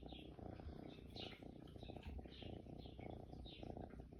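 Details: Lily as a kitten, a pet cat recorded in June, purring: a continuous low, rapid rumbling throb, steady throughout, with soft airy breathing or rustling sounds above it.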